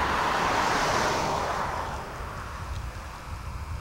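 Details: Rushing wind and road noise from a passing vehicle fade into a steady outdoor rumble, with no animal calls.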